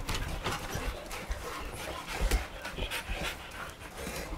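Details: Golden Retriever panting, heard as soft, breathy noise bursts in an uneven rhythm of roughly three to four per second, with faint thumps and scuffles indoors.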